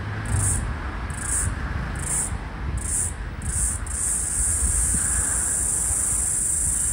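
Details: The last floury baker cicada (Aleeta curvicosta) of the 2022/2023 Australian summer, 18 March 2023, gives high buzzy pulses about once a second, then a steady continuous drone, seemingly syncing with another cicada across a busy street.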